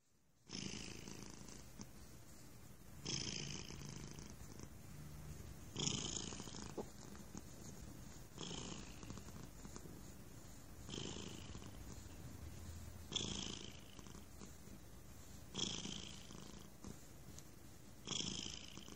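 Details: A stray cat sitting on a person's lap purrs loudly and steadily, the rumble swelling with each breath about every two to three seconds.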